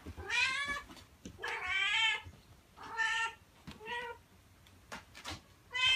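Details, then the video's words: Domestic cat call meant to draw cats closer: a run of clear, high, tonal meows, about five spaced roughly a second apart, each bending up then down, some short and some drawn out, over a quiet background. "Meows to ATTRACT CATS"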